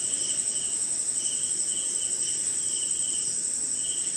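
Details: Night chorus of crickets in rain somewhere in India: unbroken shrill high buzz with separate lower chirps pulsing about twice a second, soft rain hiss below.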